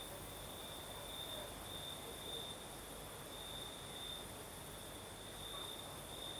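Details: At night in southern Crimea, crickets keep up a steady high trill with pulsing bright notes, accompanied by a breeze's broad hiss and a low background rumble.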